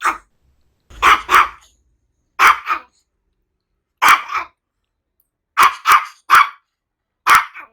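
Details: Quick bursts of barking from a Maltese dog, several barks paired in rapid doubles and triples, sharp and yappy, with brief silent pauses between bursts.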